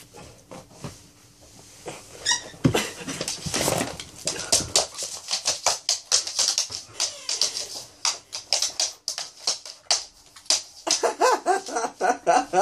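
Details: A female Alaskan Malamute from Ireland whines and grumbles in a rapid, uneven run of vocal complaints, unhappy about her new collar.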